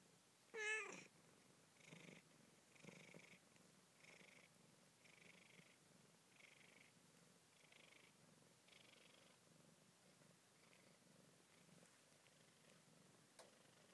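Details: One-day-old Siamese kittens in York, UK, born 20 February 2010, purring in soft rhythmic pulses roughly once a second after a single sharp high mew at the start; quiet indoor background.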